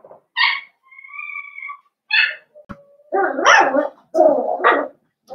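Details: In an indoor puppy pen, young blenheim Cavalier King Charles Spaniels from a New Year's litter of five give high yips, then a thin steady whine. Rough, overlapping yaps and squeals follow in busy bursts.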